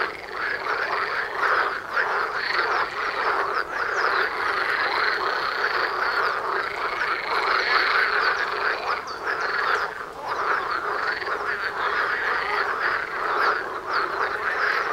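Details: A dense frog chorus from a pond about 500 m from a house, calling day and night, makes overlapping croaks in a continuous rattling din with no pauses.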